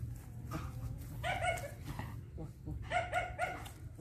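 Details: Young female German Shepherd, eleven months old, giving short harmonic whining yelps in two bursts, three rising-falling notes in the second burst, with low background hum.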